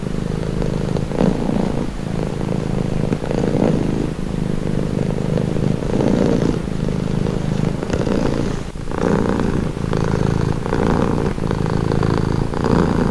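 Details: Domestic cat purring steadily, a low rumbling drone with breathy pulses swelling roughly every second as the cat breathes in and out, close and continuous with no other sounds.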